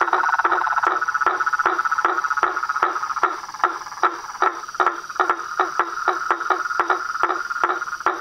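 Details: Night-style chorus of toads, frogs and treefrogs: an even beat of clipped croaks, about two and a half per second, riding on a steady droning tone with lighter chatter between beats.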